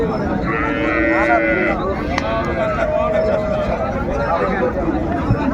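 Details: At Raniganj haat in Dinajpur on 30 May, a cow with calf market: a brief, bright lowing call rises near the start, followed by fainter overlapping moos beneath constant crowd noise and chatter.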